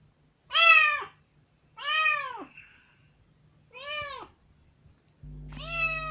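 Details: Loud, pitiful cries from a kitten rescued some three days earlier and released from its cage into a room for the first time, insisting on being let out; four strong, rising-then-falling meows about a second apart, with a low hum at the end.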